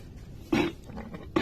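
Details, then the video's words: Goat struck by a phlegmy coughing fit: two harsh, broad, explosive coughs less than a second apart, with low room noise between. "kambing pun kena serangan batuk berdahak"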